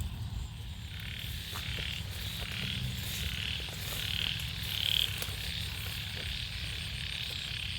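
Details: Frogs calling from rice fields in Sisaket, Thailand, after heavy morning rain: a dense, steady, high-pitched chorus with a low rumble beneath it.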